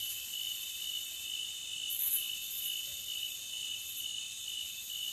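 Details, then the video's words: A continuous, piercing trill of forest crickets fills the air, even and unbroken, with one short louder flicker partway through. "Cricket Sound for 5 hours Loopable"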